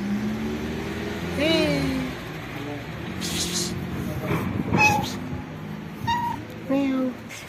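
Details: Pregnant black cat living on the street, reacting as her belly is touched: a few short harmonic meows, some rising then falling, mixed with rustling, scratching bursts and a human voice.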